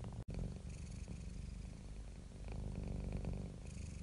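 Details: Contented domestic cat giving a low, throbbing purr; a brief dropout near the start, then a steady vibrating rumble that grows slightly louder toward the end.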